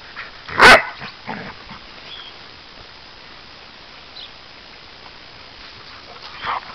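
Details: Dogs playing together outdoors, a black Labrador–American Staffordshire terrier cross with two American Staffordshire terriers and Labradors, sheep in the distance; one sharp, loud yip near the start, then quiet rustling and a faint yelp at the end.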